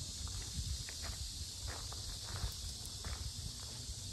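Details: A dense cicada chorus at the Sinjeongho lotus park in Asan, Korea, makes a very loud, unbroken, shrill buzzing hiss that holds one pitch throughout, while heavy footsteps and low rustling thud close by.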